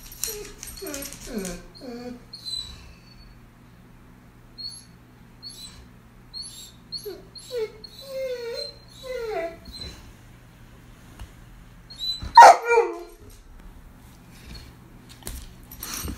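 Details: Frances, a Greater Swiss Mountain Dog, whining indoors as the electric man arrives; bursts of high, falling whimpers early on, then drawn-out wavering whines, a sharp louder yelp near the end, with steady low hum between.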